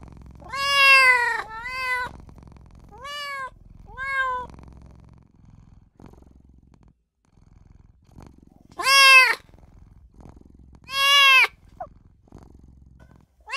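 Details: Newborn kitten crying for its mother and owner: five rising-falling whiny meows, the first two close together, then a pause of about four seconds before two louder, longer cries, with a soft low rumble between calls.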